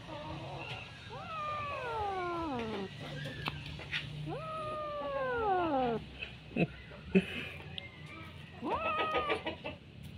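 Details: Bengal kitten playing with a string it holds in its mouth, giving long drawn-out meows that fall in pitch, three main wails spaced a few seconds apart, the last one shorter and rising, over low room rumble and faint rustling.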